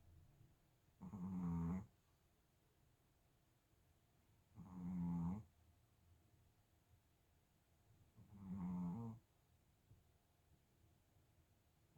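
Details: Chihuahua snoring: three low, rumbling snores about every three to four seconds, each lasting under a second with a nasal droning tone, quiet breathing between them in a small indoor room.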